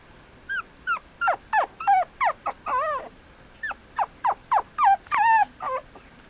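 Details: Male Mame Shiba puppy at a breeder's kennel in Japan, filmed 5 January 2013, giving a run of short high whimpers and yips, each sliding down in pitch, about three per second with a few longer wavering cries.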